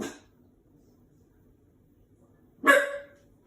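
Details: A washing machine scares this Shiba Inu puppy, five months old, into a single sharp bark near the end, after a brief tail of an earlier bark and a quiet hum in between.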